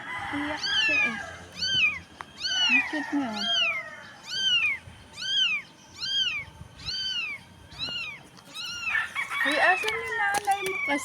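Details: Dirty stray kitten off the street crying for help: a steady series of clear arched meows about one per second, with faint talking and rustling at the start and end.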